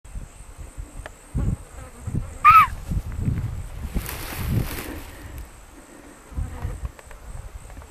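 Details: A semi-startled hog deer stag in velvet gives one brief, piercing shriek that rises and drops away in under half a second, over steadily buzzing flies, with soft low thumps and rustling.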